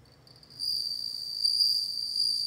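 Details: Bell cricket singing: a sustained high, pure ringing trill, near-constant pitch, starting after a brief quiet moment and continuing steadily to the end with a faint higher overtone.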